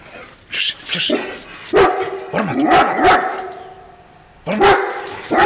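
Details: Female harlequin Great Dane on guard duty, giving deep, harmonic barks in short clusters, a pair near the start, a run of several in the middle, then two more at the end, with quiet gaps between.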